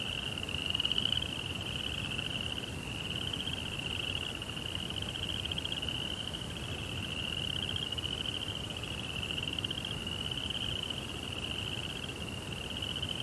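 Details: Crickets at night, a steady high pulsing trill that hums on without pause, with a slight wavering in pitch and soft low background rumble.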